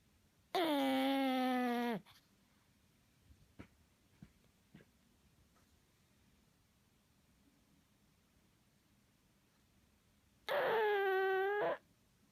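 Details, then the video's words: Pug asleep indoors letting out two long, honking, tonal snores about ten seconds apart, each starting strong and holding a buzzy, nasal pitch, with faint soft clicks in the hush between. "Pug snores"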